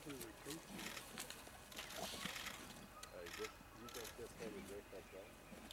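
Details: Spotted hyenas at a kill in Vumbura, Okavango Delta, Botswana, giving wavering, harmonic squeals and giggles in short bursts that cluster toward the end, with rustling and clicks around them.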